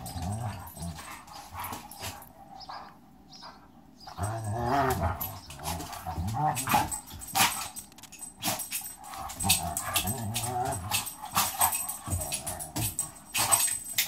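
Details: Pit bull and German shepherd squaring off, low harmonic growls rising and falling in bursts around four to five and nine to eleven seconds, with clattering scuffles and thuds throughout.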